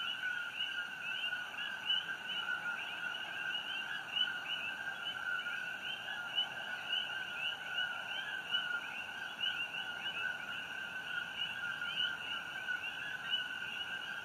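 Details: Night chorus of many coqui frogs on Hawaii Island beside the Fissure 8 eruption glow, June 27, 2018: countless overlapping short chirps merge into an unbroken high, two-pitched hum with rapid upswept notes throughout.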